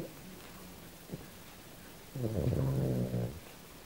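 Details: Australian Silky Terrier named Kym asleep and dreaming, giving one low, buzzy, throaty moan of about a second after a near-silent stretch of soft breathing.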